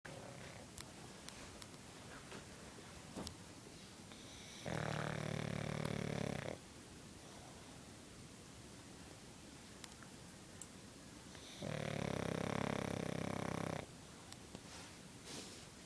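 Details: A female pug sleeping gives two long, rattling snores, each about two seconds, spaced roughly seven seconds apart, with quiet breathing and faint clicks in between.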